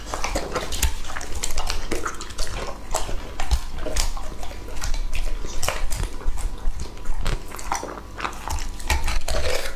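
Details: Lucky, a two-and-a-half-year-old English Labrador, eats raw food, possibly New Zealand green mussels, with steady wet chomping and clicking bites filling the whole stretch. Low thuds and clattering like a bowl mix in.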